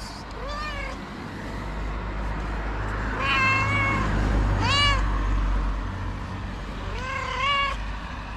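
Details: Moroccan street cat, a tabby living outdoors, meows repeatedly: four harmonic cries, some arching then falling, others wavering, spaced a few seconds apart, against a continuous low hum of traffic.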